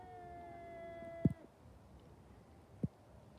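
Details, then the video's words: Cat fight: a drawn-out harmonic yowl fades out after about one and a half seconds, followed by two sharp thuds in otherwise quiet background. "Funny cat fight"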